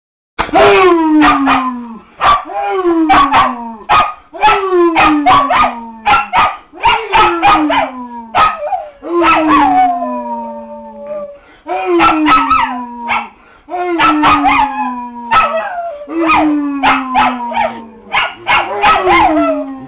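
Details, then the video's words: Kimo, a pet dog, howls along with its owner in a long run of drawn-out falling howls, each sliding downward with rich overtones and coming about every one to two seconds, with a brief pause near the middle. "Dad and Kimo howling"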